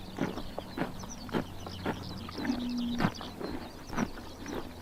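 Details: On a summer morning in Mongolia's Tuv province, horses crop grass with sharp tearing crunches nearly twice a second, loosely spaced, over a faint low hum and scattered distant bird chirps.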